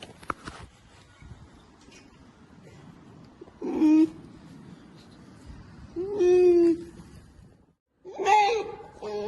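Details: Curious polar bear cub investigating a camera and getting indignant, giving three loud, harmonic, whiny bleating calls about two seconds apart, each under a second long, over a quiet background with faint rustling.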